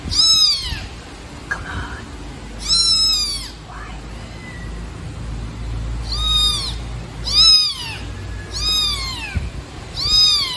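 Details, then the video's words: Loud, insistent meowing from a baby black kitten dumped in a trash box on the street: roughly eight piercing, arching cries at uneven intervals, with a man's voice and rustling in between. "Kitten Meowing Loudly"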